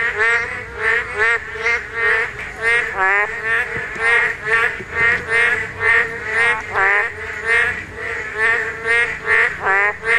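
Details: Spawning Korean narrow-mouthed toads in a dense run of overlapping nasal, bleating croaks, more than twenty in ten seconds, some notes dipping and swooping, pulsing steadily with no pause.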